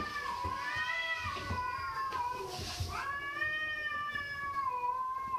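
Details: Cat giving a near-continuous run of meows, wavering up and down, with a brief break midway before a long, rising, then slowly falling meow; harmonic, nasal tone over low background rumble.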